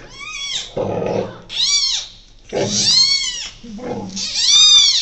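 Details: Newborn giant panda cub, born on the evening of 12 July 2024 at Ouwehands Dierenpark in the Netherlands, in the birthing den with its mother: four loud, harmonic squawks that arch up then down, with softer low rustling and grunting between them.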